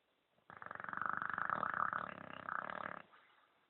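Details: English bulldog KOA asleep and snoring like a man: one long, rough, rattling breath of about two and a half seconds, built from rapid throaty pulses, swelling and then cutting off into quiet.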